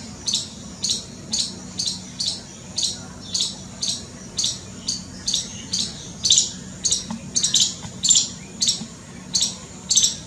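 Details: Squirrel, scared, producing a long run of rasping high-pitched chips nearly two per second, some louder and doubled toward the end, over a soft background hum.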